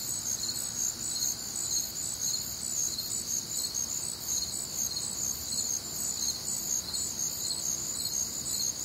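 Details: Many crickets calling together through a warm, humid summer night in the Midwest; high, unbroken ringing trills layered with rhythmic chirp pulses about twice a second, steady in volume.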